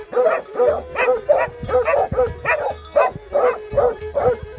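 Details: Plott Hound or Serbian Tricolor Hound, Greece, 20/03/2020: about ten sharp, throaty barks in under five seconds, evenly paced, over a faint sustained hum.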